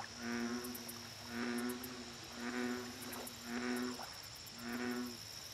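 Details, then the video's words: Five deep, droning croaks from an American bullfrog at a lake, evenly spaced about every 1.1 seconds, each a rich low harmonic note lasting roughly half a second, with a constant high-pitched insect hum and faint clicking behind. "Bullfrog Lake Audio Only"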